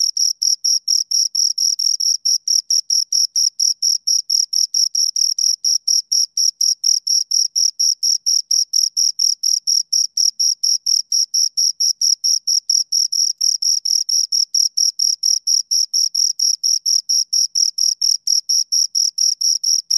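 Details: Pair of crickets chirping in a relentless even rhythm, high thin pulses about four per second with a faint upper overtone, steady loudness and a clean background.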